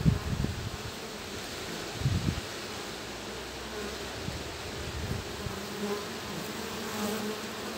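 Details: Honey bee guards exchanging taps and checks at a hive with a future forager among them, mid-day, cloudy, 18°C, breezy. Continuous droning hum with a few louder bumps and rustles early on.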